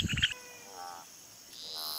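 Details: A rococo toad, one of the world's biggest toads, gives a short, low pulsing croak, then quieter tonal sounds follow; when threatened these toads inflate themselves.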